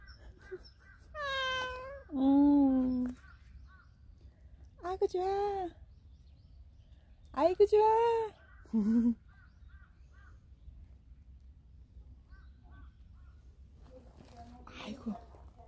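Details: Cuddly street cat at a workplace offering its belly to be stroked; scattered meows, a few long and sweeping downward, others short, separated by quiet gaps, with low human speech in the background.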